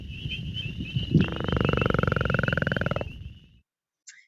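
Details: A northern leopard frog, an early spring caller, makes its low, nasal snore: a grating run of fast pulses held about two seconds, stopping abruptly, then a brief croak, over a steady high insect-like whine.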